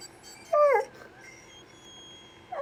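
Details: Cash, a dog who wants a toy, lets out one brief quavering whine that bends up and then down. After a quiet stretch there is a faint short yelp.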